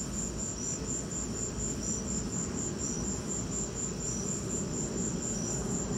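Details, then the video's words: During a lightning storm, crickets keep up a regular series of shrill, high-pitched chirps, a main caller pulsing steadily with a softer lower one now and then, set against continuous low-pitched noise. "Lightning and crickets!"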